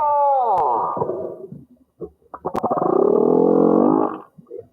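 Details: A large male humpback whale singing underwater off the Tonga islands to find a female gives a mating song: a falling, moaning tone, then a long, throbbing, groaning unit.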